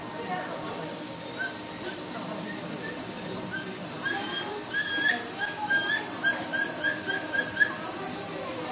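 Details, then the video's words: Momiji, a mother capybara at Nagasaki Bio Park, kept in a separate enclosure with her babies Choco and Donut, just over four weeks old. She is frightened by a film crew entering. Short high squeaky chirps come in quick uneven bursts over steady hiss. "Capybara Sounds: The Cry Of A Frightened Mother Capybara and Her Baby"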